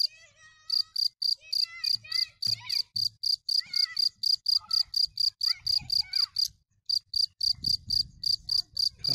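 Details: A cricket pulses out fast, high, evenly timed chirps, with a short gap late on. Twittering, warbling bird-like notes and some low rumble run underneath.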